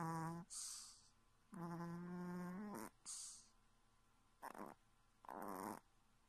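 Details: A sleeping Chihuahua sleep-talks and snores with low, drawn-out groaning whines broken by short, breathy snorts.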